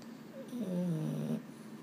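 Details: Male Boston Terrier at bedtime, unable to sleep, gives one brief low whining groan lasting about a second that wavers slightly in pitch, in a quiet room.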